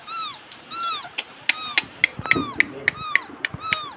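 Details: A domestic cat in Bangladesh meows repeatedly, with short arched calls coming about every half second, mixed with sharp clicking taps and some nearby voices.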